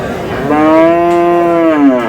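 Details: Friesian or crossbred bull calf at the Aftabganj cattle market in Dinajpur, recorded 7/6/26 during buying and selling. One long, steady, harmonic moo that holds level and dips slightly at the end, with faint market noise behind it.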